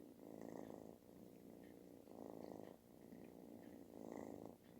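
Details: Snoring-sounding purr from a kitten asking for attention; coarse vibrating drone pulsing with inhale and exhale, three louder bursts over nearly five seconds.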